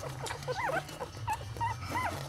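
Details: Litter of eight newborn Lhasa Apso puppies with their mother, making thin rising and falling squeaks and whimpers, several overlapping, over a steady low hum.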